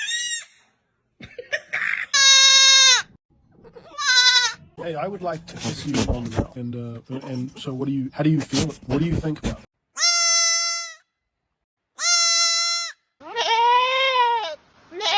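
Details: Goat calling at feeding time, with several loud, harmonic, quavering bleats, some high and strained and others lower and wavering; a stretch of a man talking to the animal in the middle.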